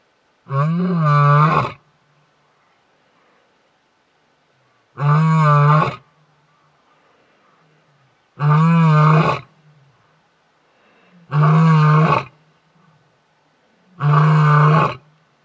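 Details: A male lion at Detema Dam, Hwange National Park, 20 October 2019, gives deep, throaty roars, each about a second long, repeated every three seconds to keep rival males away.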